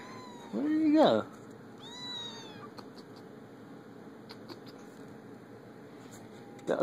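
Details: Kittens at play let out a loud, wavering meow, then a clear, high, arched mew that rises and falls, followed by quiet room hiss with light taps and a short sound at the end.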